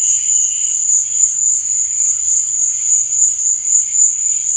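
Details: A short stretch of crickets chirping at night: a continuous thin, high trill with a faint lower tone at the start and a slight pulsing in loudness.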